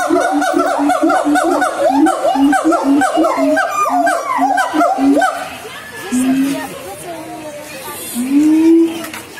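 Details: Siamang from Sumatra singing: fast series of rising whooping calls over a pulsing low boom for about five seconds, then quieter, followed by two drawn-out rising wails.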